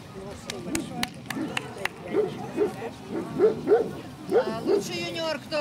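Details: Central Asian Shepherd Dog at a club breed show in Kyiv (Krasylivka), Ukraine, on 28 September 2019, during a ring comparison; a series of deep, short barks in pairs about half a second apart, over crowd chatter, with sharp clicks early on.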